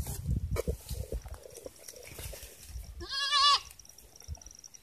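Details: Goat on a farm during watering time gives one short, quavering bleat near the end, after several seconds of low rumbling handling noise and soft knocks.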